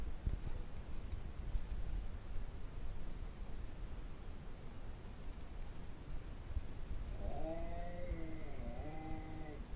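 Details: An Alaskan Malamute walks into a little boy's bedroom in the morning and howls to wake him. A long stretch of low rumbling background noise gives way to a drawn-out, wavering, richly layered howl in the final seconds.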